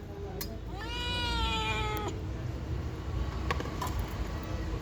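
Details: Pet cat in conversation with a woman; a single long meow rising then flattening, lasting over a second, followed by her Telugu speech and light clicks.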